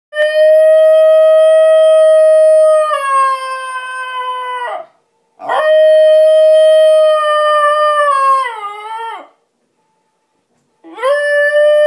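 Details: Basenji dog howling while missing its owner who is away: long, steady, tonal howls with a rich stack of harmonics, each held three to four seconds before sagging and breaking off, with short silent gaps between them.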